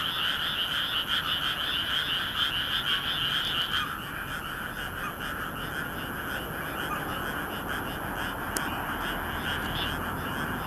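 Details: Rice-paddy frogs calling together on a moonlit May night in Nagoya, Japan, captured with a compact camera: loud rattling croaks for the first four seconds, then the chorus thins and softens but carries on, with one brief click.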